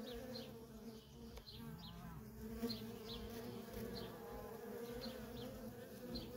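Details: Worker bees streaming in and out of a feral honey bee colony, a steady layered buzz with faint short high ticks repeating over the drone.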